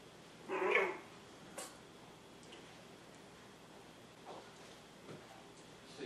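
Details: Seven-week-old poodle puppies, Honey, honey-colored, and Emma, with black highlights, healthy and energetic; one sharp bark near the start, then a few faint soft yips and quiet rustling indoors.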